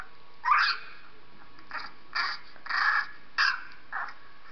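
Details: Dog Purdy reacting to sounds of a three-week-old puppy; five or six thin, high-pitched whimpering squeals, each under half a second, come unevenly over a few seconds against a quiet indoor background.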